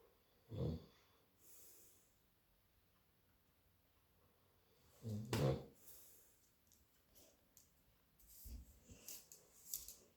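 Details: A Labrador Retriever sleeping indoors on Halloween alongside his owner snores in low, rasping snorts roughly every four to five seconds, with soft breathing between and a quiet room behind.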